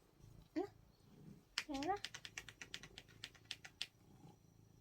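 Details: Pet cat said to sound like it answers "안해" (no): a short yelp, then a longer falling meow, followed by a quick series of clicking taps, indoors.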